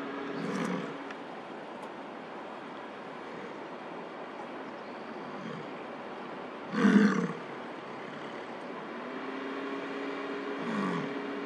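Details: Wild male American bison bellowing at a stopped car in Lamar Valley, Yellowstone, during the summer rut, courting a nearby female. A loud, gravelly roar near the middle, flanked by softer grunts, over a constant vehicle hum.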